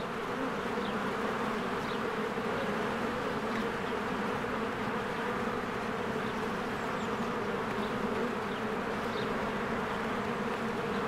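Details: Many honeybees fly in and out of their hive in spring, flowers blooming nearby: a dense, steady low buzzing drone with layered humming tones throughout, and faint high bird chirps breaking through now and then.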